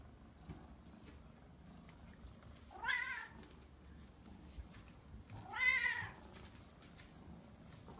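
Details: Cat with a squirrel-like tail meowing twice, each meow drawn out and wavering, first rising then falling, about three seconds apart in an otherwise quiet setting.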